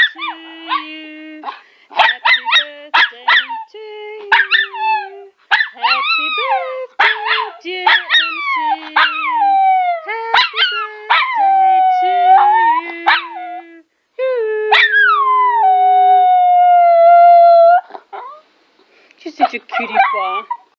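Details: A Miniature Schnauzer howls in wavering, sliding tones, joining along as Happy Birthday is sung.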